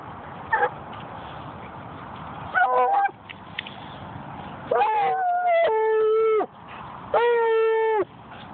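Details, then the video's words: Melody, a hound dog being extra vocal at a dog park, gives drawn-out mournful woo calls, each about a second long and held on a steady tone, after a few short yelps, with faint background noise. "Melody Wooing at the Dog Park"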